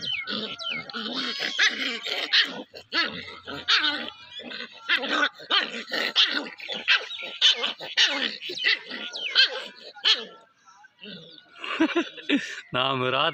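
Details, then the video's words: Playing puppy yapping and yelping almost nonstop in short, high bursts, with rough growly edges at times, a brief lull near eleven seconds, then a final burst of squealing yelps. "Baby dog playing | Dog baby sound"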